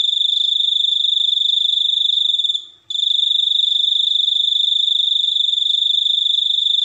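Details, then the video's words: Continuous piercing cricket trill, billed as uniquely distinctive. Fast pulsing at a constant pitch, cut off by a brief gap just before three seconds, then resuming at full strength. Nothing else is heard. "suara jangkrik super unik"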